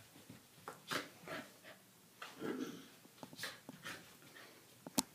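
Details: Doberman puppy and corgi named Dartanian and Vaida playing rough indoors: short breathy huffs, snorts and scuffles in quick bursts, with one brief low grumbling growl near the middle and a sharp click at the end, in a small quiet room.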